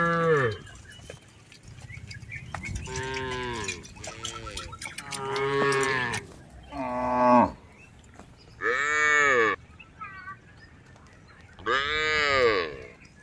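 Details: Tame cattle herded across a rice field, several moos in turn, some low and steady, others higher and bleating, separated by short pauses over a faint rural background.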